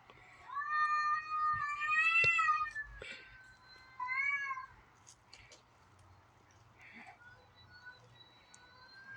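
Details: Domestic cats yowling in a backyard in the morning, a white cat and an orange cat, perhaps a female in heat or fighting: two loud, wavering wails, the first rising and long, the second shorter, then quieter background with faint voices.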